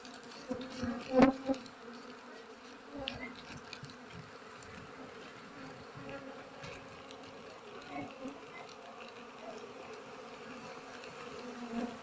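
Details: Buzzing honey bees at a nest being harvested in flowering season, a continuous low hum with stacked overtones, one sharp handling click early and soft rustling throughout.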